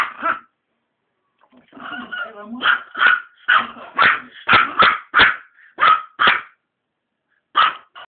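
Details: Maltese dog reacting to cigarette smoke with a string of sharp, repeated barks, some in close pairs; a person's brief voice is heard early, then barking dominates until a late final pair.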